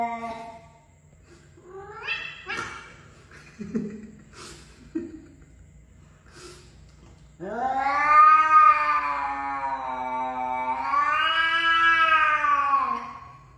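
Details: Domestic cat giving short chirpy calls, then a long loud drawn-out yowl with rich harmonics, wavering and swelling across about six seconds; indoors, with brief soft voices early on.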